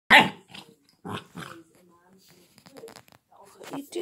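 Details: Chocolate Labrador Retriever puppy named Barney gives one sharp, loud yelp-like bark at the start, then several softer short bursts, with quiet human voices in between.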